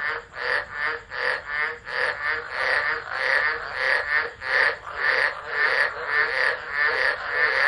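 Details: Frog chorus in a Tropical Low, Driver, Northern Territory, Australia, 13 Dec 2013, captured by an unattended phone; rapid pulsing croaks with brighter, higher notes emerging midway, the throb repeating roughly once or twice a second.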